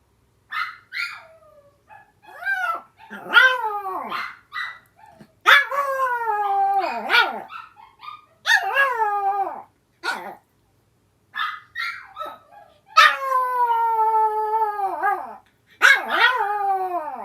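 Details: Two pet sister dogs in a home shared with several dogs, the elder howling back at the younger one's crying: a busy run of swooping yelps and whines, broken by drawn-out howls, one long wavering howl near the end.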